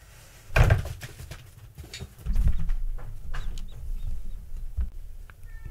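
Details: A two-year-old female short-legged tortoiseshell Munchkin cat licks yogurt, lapping and chewing with wet, irregular clicks and smacks recorded close up.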